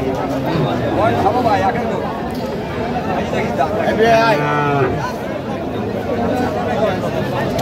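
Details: Cows at Aftabganj cattle market, Dinajpur, on 16 August 2025. One low, drawn-out moo with clear harmonics rises near the middle, over steady crowd chatter and bargaining voices.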